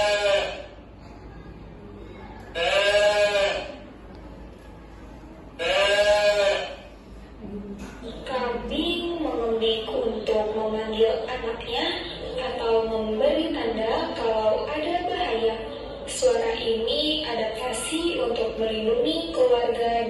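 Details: Goat bleating, described as calling its young or signalling danger, an adaptation that protects the family in steep mountains; two loud, quavering, harmonic bleats about three seconds apart, followed by a woman speaking Indonesian over the rest.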